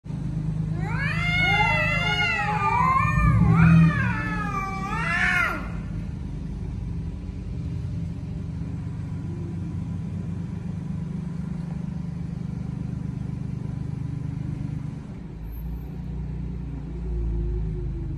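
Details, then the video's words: Male cats make a loud noise: a wavering, rising and falling yowl lasting about five seconds, then steady low traffic rumble fills the rest. "Male cats making the loud noise"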